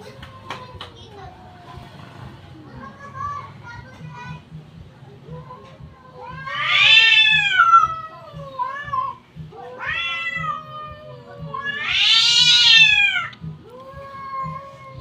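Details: Cats fighting and yelling at each other: long, wavering, nasal yowls that rise and fall, building to two loud screaming bursts, with quieter drawn-out wails between them over a steady low background hum.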